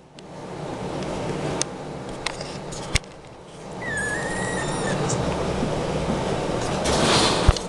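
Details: A one-month-old tortie lynx point Himalayan Persian kitten gives a single thin, high, slightly rising mew over steady room noise, one of many mews it keeps making.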